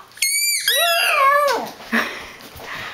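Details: Angry at Sundae for squeaking her ball and nearing his bed, Brinkley the dog lets out a single high, tonal, wavering cry that drops in pitch over a second. Softer scuffling indoor noise follows.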